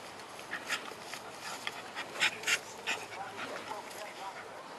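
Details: Two Pit Bulls at play, Serena in a red collar and her brother Thor, recorded on a Sony HX1: a few short, sharp, harsh bursts around the middle amid soft panting-like breaths and low background noise.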